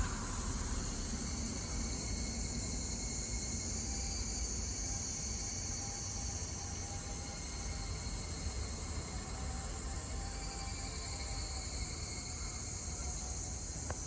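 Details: Higurashi cicadas singing in Kawagoe, Saitama, Japan, on 26 June 2024: a continuous high, shimmering chorus in layered pulsing bands, over a steady low rumble of distant traffic.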